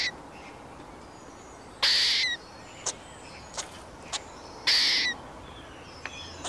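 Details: A squirrel calls in loud, noisy rasping bursts, two of them about three seconds apart, interspersed with brief clicking ticks and a few faint thin chirps in a quiet setting.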